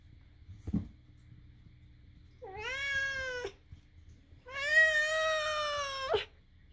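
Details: Pet cat indoors making odd vocal sounds; two drawn-out, rich meows, the first about a second long with a rising start, the second longer and louder, held steady before a brief upward flick, after a soft thump.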